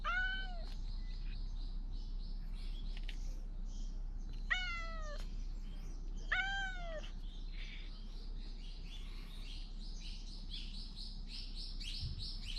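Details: Stray cat in the Fukugi tree avenue at Bise, Okinawa, Japan, loudly calling as though trying to say something, GoPro 9 recording: three arched, harmonic-rich meows spaced about two seconds apart, with a constant high insect-like hiss behind.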